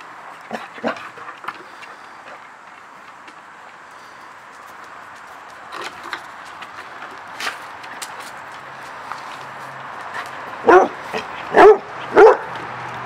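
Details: Hershey, an English Springer Spaniel from Storyside Springers, plays excitedly in a backyard. Quiet rustling and light footsteps give way to three loud, sharp barks in quick succession near the end, roughly half a second apart.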